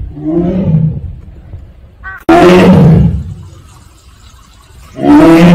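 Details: Siberian tiger, also called Korean tiger, kept at Seoul Grand Park zoo, giving its 'aung' call: three loud, throaty, harmonic roaring bursts of about a second each, the second starting abruptly after a short rattling sound.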